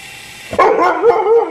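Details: Siberian Husky named Max, a pet indoors, vocalising while chasing a remote-control helicopter around the house. A single drawn-out, wavering cry starts after half a second of quiet and bends up and down for about one second.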